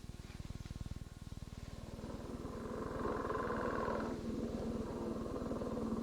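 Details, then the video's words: Male northern leopard frog giving its advertisement call from underwater, likened to two balloons rubbed together with some chuckling: a fast, low, pulsed rattling snore that grows louder, with a grating, raspy burst in the middle. "the advertisement call of the male northern leopard frog notice that it sounds like two balloons being rubbed together and also you'll hear some chuckling"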